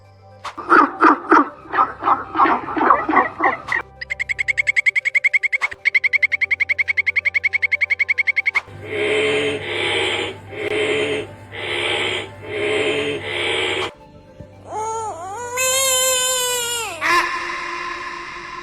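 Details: Frog. Several frog voices follow one another: raspy, pulsed croaks, then a rapid, steady buzzing trill, then bursts of coarse notes. The sequence ends with a harmonic squeal that rises, holds and falls, with a faint musical background.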